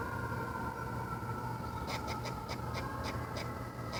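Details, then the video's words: A squirrel on a fence gives a quick run of sharp, repeated chucks over a steady mechanical hum; its sounds were likened to a bird, then to a pig. "Squirrel making weird sounds"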